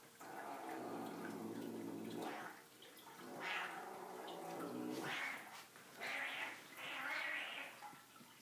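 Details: Savannah cats Zumani and Malaika, about a year and a half old, one an F2, play indoors while one carries a toy and growls at the other: a long low rumbling growl, then four shorter rough bursts a second or so apart.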